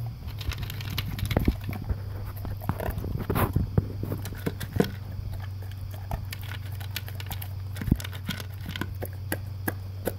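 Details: An English cream golden retriever, male, eats a dry-food breakfast from a blue concentric-circle slow-feeder bowl; dense crackling crunches and chewing over a steady low indoor hum, with occasional louder bites.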